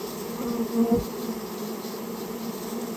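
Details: Buzzing swarm of Japanese honey bees during removal of their nest from a storehouse; continuous low hum with a brief louder swell near the first second, then an even drone.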